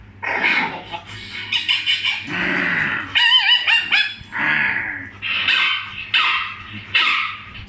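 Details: Pet dog reacting to funny sounds with a run of high, yelping barks and a brief whining howl in the middle, the barks coming irregularly about once a second.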